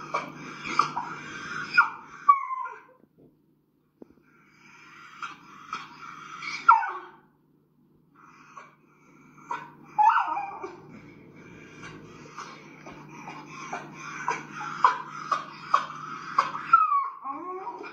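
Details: A small Schnauzer-type dog, which reacts constantly on walks and at home and has recently started screeching, gives high, strained screeches and whining cries in uneven bursts with short silent gaps, growing more frantic toward the end.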